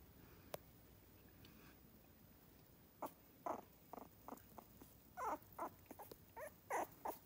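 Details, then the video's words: Three-week-old miniature schnauzer puppies near Radisson, Saskatchewan, starting to get talkative: faint at first, then a run of short squeaky whimpers and squeals from about three seconds on, clustered and irregular, in a quiet indoor room. "3 week old mini schnauzers"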